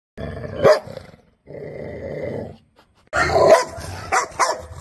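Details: Dogs chasing a cow: two loud bursts of rough barking with a strained, growly edge. Between them comes a steadier, hoarse noisy stretch, and the clip ends with more short barks.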